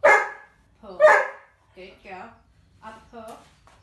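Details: Female Doberman doing obedience drills gives two loud, abrupt barks about a second apart, then a man's voice speaks short training commands over the rest of the recording.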